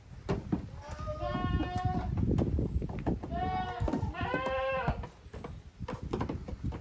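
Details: Young goats from two families, Koharu's and Okayu's kids, at play on a Japanese goat farm's exercise yard in June 2023. Two quavering bleats in close succession over steady rumble and knocking of hooves.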